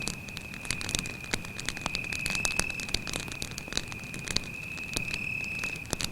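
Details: Night in the forest by a campfire: a cricket's continuous high-pitched trill stays level and constant, overlaid by dense crackling and popping of burning wood.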